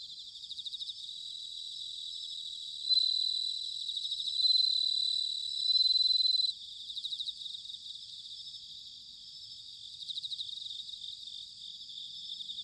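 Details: Autumn song of a bell cricket, recorded in Sanuki, Chiba, Japan. A quiet pulsing insect chorus comes first, then three loud sustained high rings in close succession, then the background chorus again.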